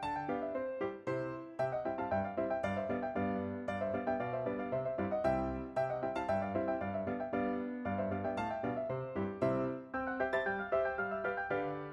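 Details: Bright piano music plays steady repeated chords and melody throughout, with no animal sound heard.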